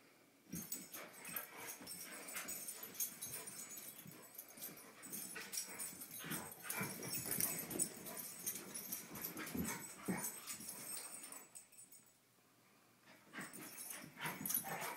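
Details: Two dogs at rough play, giving rapid scuffling sounds, wheezy breaths and occasional high yips, briefly quieter near the end.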